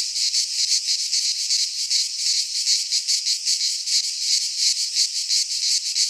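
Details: Cicadas singing in midsummer in a Greek pine forest: a dense, unbroken high buzzing chorus that pulses rapidly, about three beats per second, with no other sounds.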